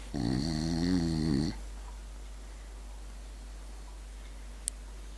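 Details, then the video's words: French bulldog asleep indoors, one rattling, buzzy snore lasting about a second and a half, then quiet room hiss with a single faint click near the end. "french bulldog snoring"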